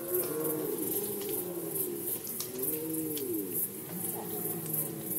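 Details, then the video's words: Red deer during the rut season in Poland, 2020: low, moaning harmonic calls that rise and fall, several overlapping drawn-out groans, with a steady hiss of background noise. "Rykowisko jeleni, Rut season of Red Deer"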